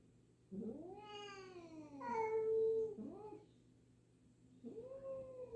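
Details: Indoor introduction of a new black-and-white cat to a wary black cat; two long arching meows back to back, a short rising one, then after a quiet gap another rising meow.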